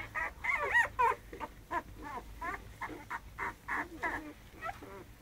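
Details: American Staffordshire Terrier puppies squeaking and whining in a rapid, uneven series of short high-pitched wavering cries, some sliding down, with brief quiet gaps between them.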